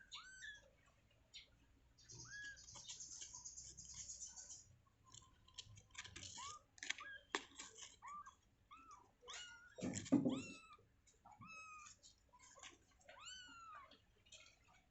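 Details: Newborn kittens in their enclosure moments after birth, giving many thin, high squeaky mews that arch up and down, overlapping in quick succession, with soft rustling and handling noises in a small indoor space.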